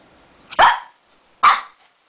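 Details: A Shih Tzu puppy digging in bed gives two short, sharp barks about a second apart in a quiet room.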